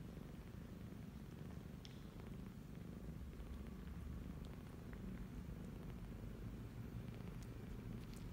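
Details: Kittens twenty-eight days old suckling from their mother, a formerly stray cat, in Cambodia; a steady low rumbling purr runs throughout, with faint soft clicks and smacking sounds above it.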